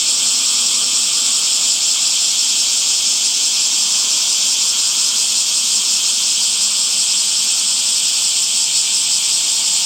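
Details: Summer cicadas among trees give an even, intense, high-pitched buzz, a dense unbroken drone that stays level from start to finish.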